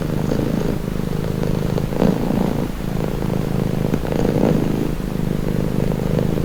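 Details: Purring house cat offered as a calming nature sound; a deep, even rumble pulsing with each breath, brighter swells near two and four seconds, steady throughout without other noises.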